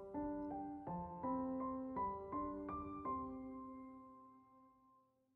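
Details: Gentle piano notes play slowly and fade away, with no animal sounds.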